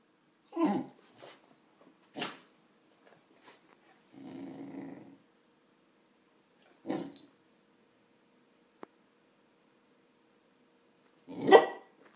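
A Cardigan Welsh Corgi gives a few short, gruff barks and one low, rumbling growl.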